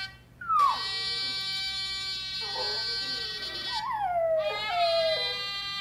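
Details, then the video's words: Young Miniature Schnauzer, six months old, singing along to a blaring trumpet sound played on a computer; the puppy's howls slide downward in pitch between and over the steady brassy notes, with a long falling wail near the end. "Miniature Schnauzer Natasha Sings to Trumps Trumpet"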